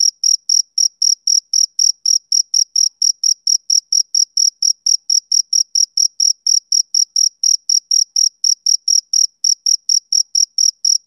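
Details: Male cricket calling on a summer evening, rhythmic high-pitched chirps ticking along at about four per second for the whole stretch, bright and metallic, on a quiet background.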